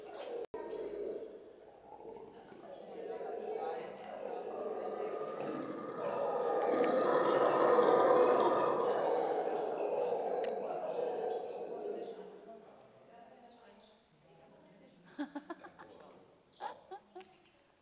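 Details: Monkeys at Köln zoo raising a loud screaming chorus: harsh, dense wailing that swells steadily to a peak midway, then fades into quieter calls, followed by a few sharp knocks near the end.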